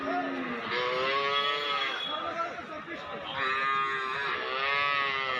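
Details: Cattle at the Basunia livestock market in Domar upazila, Nilphamari district, Bangladesh, on 20 July 2026 amid nonstop rain; two long, rich harmonic moos about three seconds apart, with crowd chatter beneath.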